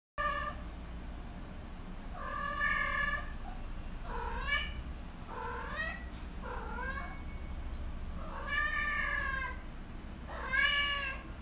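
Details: A chubby Siamese cat (Felis catus) gives a run of loud, drawn-out meows, each arching up and then falling.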